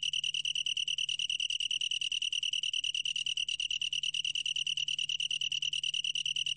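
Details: Long-tailed tree cricket producing an uninterrupted high, bell-like trill of quick pulses, slightly uneven in spacing, with a low hum in the background.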